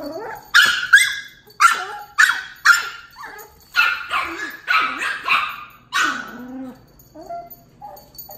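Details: Miniature Pinscher puppy Tito, two months old, meets Dachshund Jupiter, aged one year six months, indoors. About ten quick, bright barks come in an uneven burst, tailing into a low whine and soft yips.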